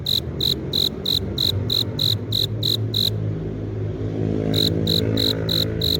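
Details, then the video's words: Male cricket producing sound by rubbing its forewings to lure a female: rapid, evenly spaced shrill chirps, a silent gap of about a second and a half, then the chirping resumes, all over a constant low rumble. "귀뚜라미 울음소리"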